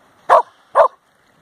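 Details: Samoyed running on seaweed at Nairn Beach, Scotland, in August 2017, giving two short, sharp barks about half a second apart against a quiet background.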